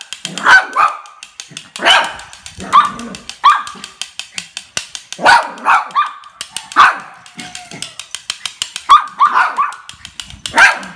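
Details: A happy mixed-breed toy dog playing gives sharp, high barks in irregular bursts, with clicking noises between them.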